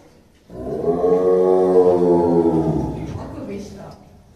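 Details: Growling tiger, one of the pair Dai and Oga, caged at Tobe Zoo in Ehime, Japan, early December 2023; a sudden harsh, tonal growl holds steady for about two and a half seconds, then fades into a softer rumble.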